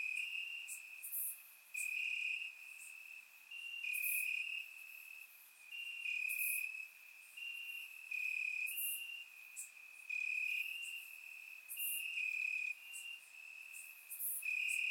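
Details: Crickets in grass at night, warm summer, Bulgaria: an unbroken high ringing trill over fifteen seconds, punctuated by louder chirping bursts at regular intervals and faint crisp ticks, a calm background with no wind or voices.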